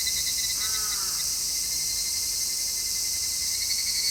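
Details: Cicadas in midsummer, recorded in stereo with an MKH-416 microphone: a dense, steady high-pitched buzzing hiss that never lets up, with a thinner ringing tone beneath it and a brief faint chirp near the start.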